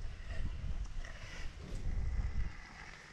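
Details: Heavy wind buffeting the microphone in a low rumble, with faint voices in the background.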